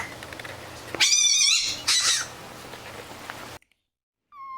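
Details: Fennec fox giving two loud, harmonic-rich calls, the first long and wavering, the second shorter, over a low background hum, followed by silence and a brief clean tone at the end.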